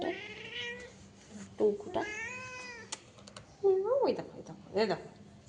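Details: Pet cat, said to be wearing a diaper and sleeping in the cold, giving a few brief mews and one longer arched meow between stretches of a woman's Bengali talk, with light tapping sounds in the room.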